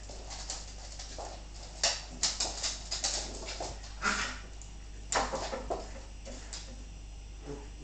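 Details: Bull terrier bitch named Brandy play fighting with her pups: short, rough broadband snarls and yelps in bursts, densest around two to three seconds and again near five seconds, over a steady low electrical hum.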